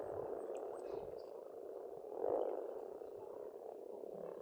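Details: Many frogs croak in a dense, grating chorus at a pond in Estonia during spring; one louder burst stands out midway, and a few faint, high bird chirps are heard early on.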